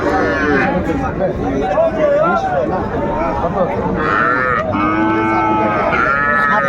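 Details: Young calves for sale at Ambari market, Mymensingh, Bangladesh, a twice-weekly cattle market, Monday 14 January 2025: short rising-and-falling bawls near the start and again in the last seconds, amid bargaining voices and crowd chatter.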